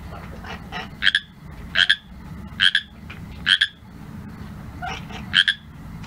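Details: Pacific tree frog, also called Pacific chorus frog, calling at night: short two-part croaks, bright and raspy, repeated roughly every second, over a low steady background hum.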